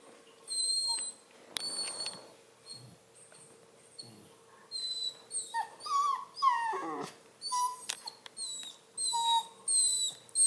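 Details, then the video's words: Whiny Redbone Coonhound puppy indoors near a cat, giving a long series of high, thin whines and squeaky whimpers, some sliding sharply downward, in irregular bursts with short pauses between. "Whiny Redbone pup"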